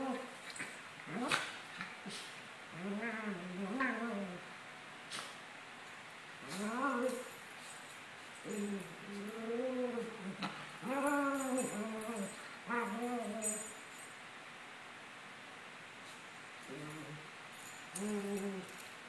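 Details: Sunny and Moony, a pair of 17-month-old Maltese dogs at play, give wavering, rising-and-falling whiny moans in clustered bursts separated by short pauses, some calls sharply upswept, against a quiet room.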